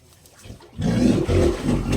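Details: Leopard fallen into a well, breaking into a loud, low, rough growling roar after a quiet start, sustained with brief dips for over a second.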